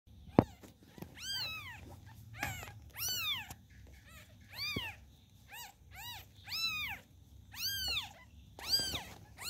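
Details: Newborn kittens calling their mother: a string of high, thin, arched meows, each rising then falling, about ten calls, some overlapping, repeated roughly once a second, with soft low rustling between calls.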